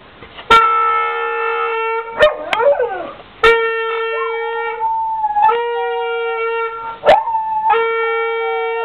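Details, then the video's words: Dog howling with a horn player: steady sustained horn notes repeat in bursts while the dog's wavering, sliding howl weaves between and over them, with sharp knocks at the start of several notes. "dog singing"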